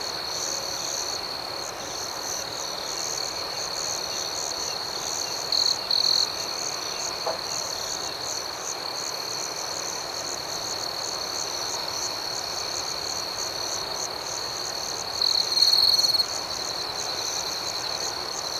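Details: Crickets chirp through the night in an unbroken high trill layered with quick regular pulses; two brief louder chirp bursts rise above the chorus, one early and one late, plus a faint click midway.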